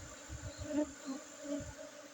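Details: Short burst of honey bee buzzing at a honey harvest in Bener Meriah, Aceh, Indonesia, 5 June 2023, within Gayo Arabica coffee gardens; a low steady hum swelling slightly, over soft rhythmic thumps.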